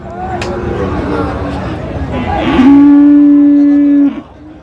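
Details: A Friesian or crossbred bull calf at Raniganj market, Dinajpur, Bangladesh, 24 April 2025, gives a single steady, level moo of about one and a half seconds over background talk among buyers and sellers.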